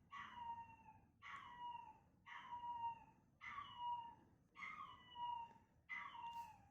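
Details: Six plaintive, descending howls come roughly once a second from Chester, a fearful male Chihuahua puppy hearing his own recorded cries. Each call is nasal and richly harmonic and fades at its end; the room is otherwise quiet.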